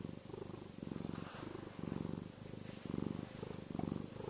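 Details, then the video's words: Contented house cat giving an energetic yet soothing purr, a close low vibrating rumble that swells and eases with each breath, about once a second, over a faint background hum. "cat purr!"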